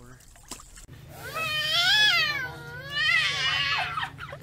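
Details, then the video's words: Baby tiger cubs in a compilation of short scenes; two drawn-out, strongly harmonic mewing cries that swell, arch and fall back, the second following about a second after the first, over a steady low hum. "Baby Tigers"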